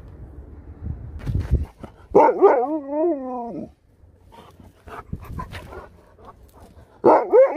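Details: Sherpa, a pet dog praised as a good boy while doing tricks, gives a wavering, harmonic yowl of about a second and a half. A shorter rising whine follows near the end, with scattered soft clicks and thumps between.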